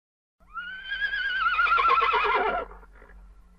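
A horse gives a loud, quavering neigh that rises, wavers and falls away over two seconds.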